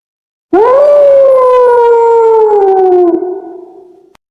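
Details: A single wolf howl that swoops up sharply at the start, then slides slowly downward in one sustained tone, tailing off and fading out after about three and a half seconds.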